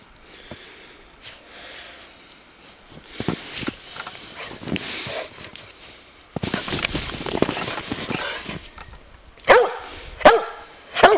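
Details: Bowser, a Boxer dog, plays outdoors in snow and barks because he wants to wrestle more. After sniffing and rustling, a few sharp, loud barks burst out near the end, spaced about a second apart.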